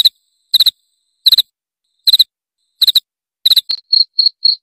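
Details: Cricket chirp used to repel rats: triple-pulsed high chirps about every 0.7 seconds, then a quick run of softer, purer single trills closing the sequence, and no other sounds.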